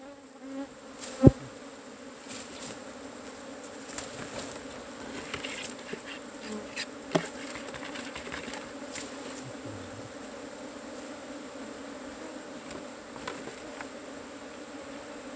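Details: Wild cavity-nesting honey bees while their hive is being harvested, a steady low droning buzz throughout, broken by sharp knocks and thuds of tools striking.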